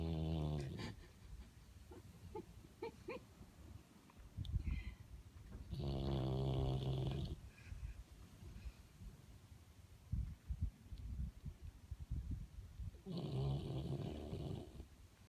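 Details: Sleeping pet dog snoring: long low rumbling breaths roughly every seven seconds, each swelling into a rattling harmonic snore, with soft snuffles and quieter breathing between them.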